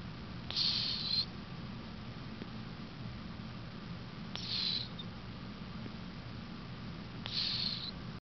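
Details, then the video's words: Sleeping snore from Cleo, a cat aged 18: airy, whistle-like breath sounds recurring roughly every three seconds, three in all, over a quiet low background hum. "Snoring cat"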